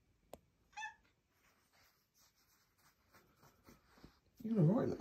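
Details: On a typical morning, a female Maine Coon cat wandering about and chatting, also clawing the carpet, gives a brief, bright chirp, then a louder throaty meow.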